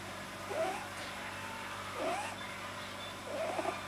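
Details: Pet rabbit Pamuk, deeply relaxed, making unusual noises a vet attributed to an overly long soft palate: three short rising squeaky whines about 1.5 seconds apart, with a faint steady room hum beneath.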